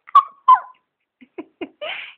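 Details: Stella, a pet dog talking to her owner indoors, gives two short high whining yips, then soft grunting huffs and a breathy drawn-out moan.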